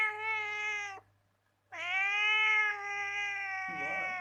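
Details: Domestic cat giving sweet, cute calls indoors: two drawn-out tonal meows, a one-second one then a longer steady one after a short pause, rich in harmonics with a slight rough tail.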